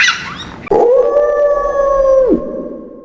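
A wolf gives one long, steady howl that rises slightly, holds a level mid pitch for over a second, then drops away. A brief higher sound comes just before it.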